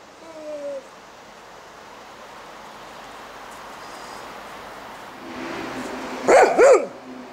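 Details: Golden Retriever playing with snowballs gives two quick barks near the end, preceded by a faint whine and mostly quiet background.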